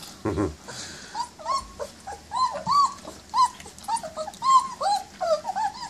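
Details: Twenty-day-old German Shepherd puppies eating their first meal, indoors: a steady run of thin, high, bending whimpers and squeals repeated roughly every half second after a short low growl-like burst at the start.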